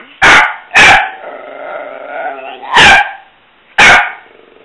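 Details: Pet dog at play time, barking and vocalizing between barks: four loud, sharp barks with a drawn-out, wavering, tonal moan running between the first two and the third.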